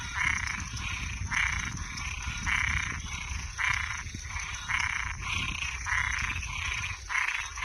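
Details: Toads and tree frogs heard at night, rasping croaks repeating about once a second over a low rumbling background and a steady high whine.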